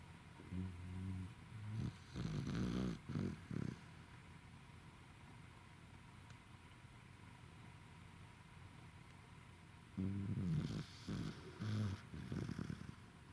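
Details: Worn-out Welsh Corgi asleep and snoring on 28 November 2021, with a cluster of low, rasping snore bursts, a long quiet stretch of hiss, then another group of throaty snores.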